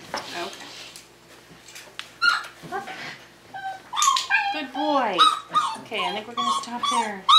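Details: Five-week-old Tamaskan Dog puppies playing the Puppy Culture box game indoors: a run of high, downward-sliding whines and yelps, several in quick succession, after quieter scattered noises and faint rustling.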